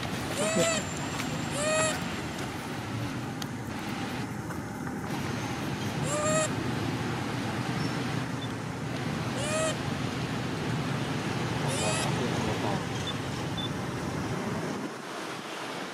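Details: A sleepy young monkey gives short, arched whimpering cries every few seconds, calling for its mother, over a steady background hiss.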